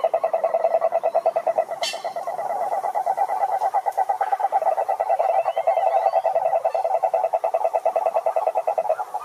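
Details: Many frogs singing in a pond chorus: a continuous, fast, throbbing pulsed croaking at mid pitch with fainter higher trilled notes above, steady in loudness throughout, and a brief sharp higher sound near the start.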